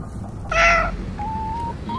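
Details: Stray ear-tipped cats eating food put out for them by a volunteer; a short bright meow with stacked harmonics, followed by thin steady whistling tones and low background rumble.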